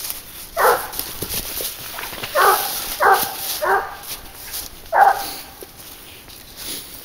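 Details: Leash-hunting dog Garuo, 22 months old, working on wild boar, gives five sharp, rough barks spaced about one to two seconds apart over faint outdoor background noise.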